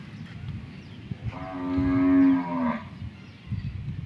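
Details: Cow on a heifer farm in Karachi, Pakistan, wandering about; a single drawn-out low moo rising slightly then falling, about one and a half seconds long, over a background of rustling and faint farm noise.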